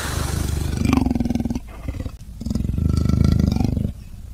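Two drawn-out growls from a leopard, each about a second and a half, low and coarse with a fast rattling pulse. A short pause separates the first from the louder, steadier second.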